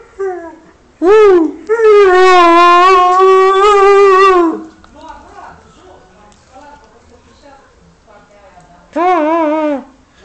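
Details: Siberian Husky howling in greeting after its owner returns home, having missed him: a long wavering, rising then sustained tonal howl of about three seconds, a quieter gap with a man speaking Romanian, then a shorter howl near the end.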